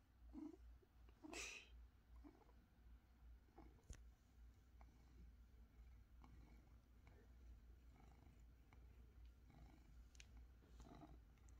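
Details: San-i, a pet cat, on a Sunday morning at home: a soft, low rumbling purr runs throughout, opened by a couple of brief brighter chirps, with faint clicks and room hum beneath.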